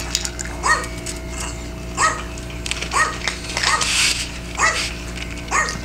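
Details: A Maltese about ten years old, on a kidney-diet food, gives sharp, high-pitched barks about once a second during feeding, apparently at a dog-barking video played to coax it to eat; Maltese.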